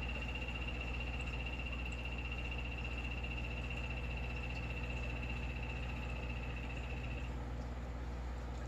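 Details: Yellow-banded poison dart frog kept in a frog room, among the loudest frogs there, giving a soft, bird-like sustained high trill lasting about seven seconds before stopping, with steady low equipment hum beneath.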